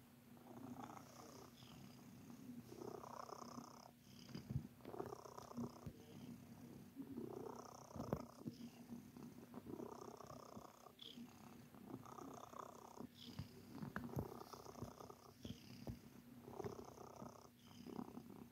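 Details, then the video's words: Sir Titan, a pet cat, purrs steadily while kneading in a biscuit-making mood; low rumbling purr swelling in regular breath cycles about every one and a half seconds, with soft rustling. "Cat Making Biscuits"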